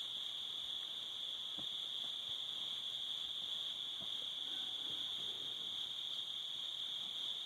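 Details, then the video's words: Crickets on a summer evening at sunset by a cabin with a fire, a steady high continuous trill holding one pitch throughout, with faint soft crackles and ticks from the fire beneath. "Summer Crickets"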